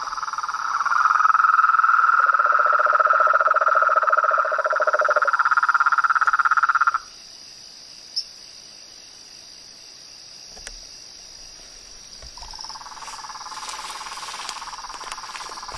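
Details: Toads, frogs and tree frogs calling in nature: loud rapid pulsed trills, one higher and one lower, stack together for several seconds then stop abruptly, leaving a quiet high hum, a few clicks, and a fainter trill returning near the end.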